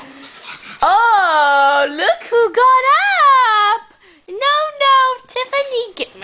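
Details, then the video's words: Two pugs, scared of or angered by stuffed monkeys, give drawn-out, whining, yowling barks with rising and falling pitch in bursts of about a second, indoors, while a woman talks to them between calls. "Funny Pug Duo Scared Of Monkeys!"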